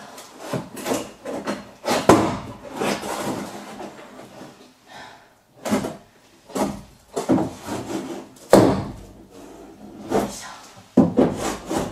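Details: Wood being rubbed, scraped and knocked in a small room, in irregular bursts with short pauses and no animal voice.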